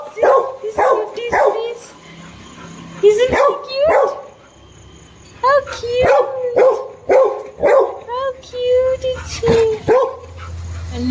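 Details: Eager, pleading whimpers and yips from Snoopy, a dog who wants a kitten to play, come in quick bursts of rising and falling squeals, about two a second, while a woman talks.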